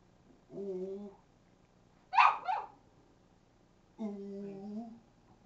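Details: Indoor pet Cavalier King Charles Spaniel named Molly talking back: a sharp double bark lands in the middle, flanked by two stretches of low, droning voice, with a quiet room behind.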